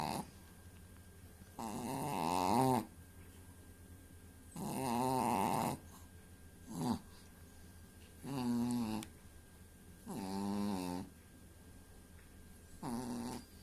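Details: Dog snoring as it drifts off to sleep in a small room, giving groaning, throaty snores like a middle-aged man. Six uneven bursts, some long and wavering, one short snort, separated by quiet breaths.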